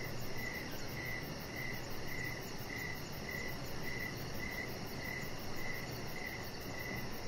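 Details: In the evening beside a lit deck shared with chihuahua puppy Rocket, a cricket chirps in a regular beat close to twice each second, backed by a constant thin high pulsing trill and faint low rumble.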